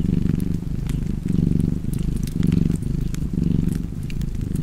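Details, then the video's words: Close, loud cat purring with clear breath-by-breath swells a little over once a second, soft fire crackle in the background. "Purring Cat and Fireplace"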